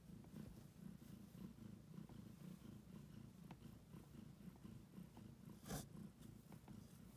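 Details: Pregnant domestic cat close to giving birth, purring intensely while kneading the air; steady low rumbling purr in rapid pulses, close and quiet, with a brief rustling noise midway.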